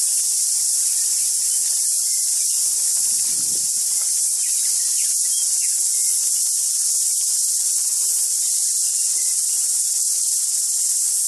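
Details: Deafening cicada chorus in trees, a dense, unbroken high-pitched hiss that holds at one level for the whole stretch, with faint scattered bird notes underneath.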